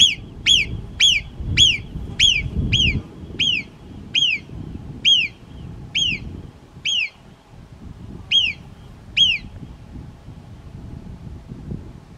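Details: A marmot standing lookout on an overhanging rock beside a mountain trail gives sharp, high alarm whistles, each dropping in pitch, about twice a second, as a hiker climbs; raptors were seen flying below.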